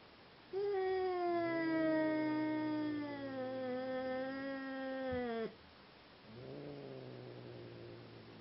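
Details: During a mating attempt between two Seal Point Siamese cats, a drawn-out, rich harmonic yowl lasts about five seconds, slowly dipping in pitch, followed after a short pause by a softer, lower wail.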